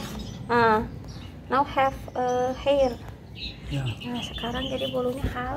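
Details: Street cat reacting to its first bath while being washed carefully: a run of plaintive meows, some long and wavering, others short, coming about every second. Quieter cries and faint high chirps sit over a rushing background.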